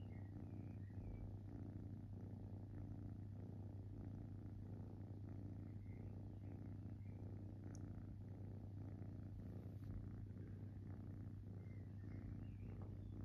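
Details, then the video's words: Purring from a relaxing kitten: a soft, rhythmic low rumble rising and falling with each breath, set against a constant low hum and a single faint tick midway. "Cute Kitten Purring"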